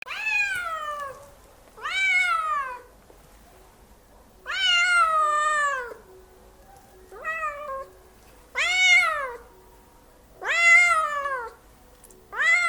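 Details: Cat giving loud, drawn-out meows, seven in a row about every one to two seconds, each rising then falling in pitch, with faint room noise between them.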